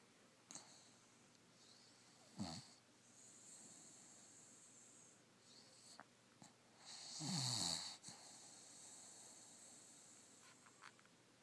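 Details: Poppy, a puggle, asleep and snoring: a few rasping, wheezy snorts spaced seconds apart, with one longer rattling snore toward the end and quiet breathing between.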